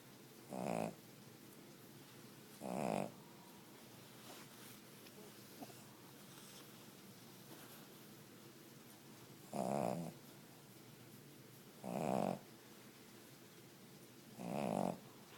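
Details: A sleeping Cavalier King Charles Spaniel snores softly: five short, rough snorts at uneven intervals of two to seven seconds over a steady background hiss.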